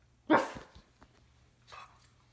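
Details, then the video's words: Pug playing with its owner: one sharp, loud bark-like burst, then a softer, shorter grunt-like sound about a second later, with small clicks in between. "Funny Pug noises from a cute face"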